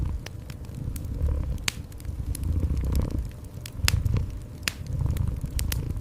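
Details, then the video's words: Gentle cat purr as a soft low rumble rising and falling with each breath, set against a crackling indoor fireplace with frequent bright snapping pops. "Cozy Fireplace with Gentle Cat Purring"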